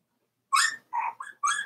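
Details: Four-week-old Cavalier King Charles Spaniel puppies from Daisy's litter, indoors in their puppy pen: four short, whiny yelps with bright harmonics, the first sharp and rising, then a softer pair and a final squeal, all within about a second.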